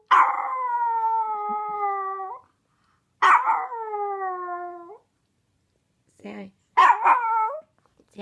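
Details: Costumed Chihuahua letting out three drawn-out, slightly falling whine-howls spaced a few seconds apart, each ending with a brief upward bend. Short bursts of human voice fall between the calls.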